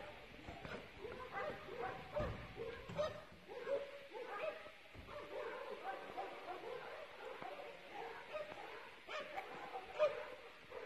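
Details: Police service dog in Telšiai district, Lithuania, which tracked suspects' footprints for 9 km in February; a steady run of sharp, harmonic barks and yips with whining tones, repeating roughly every half second, with brief clicks and bumps between.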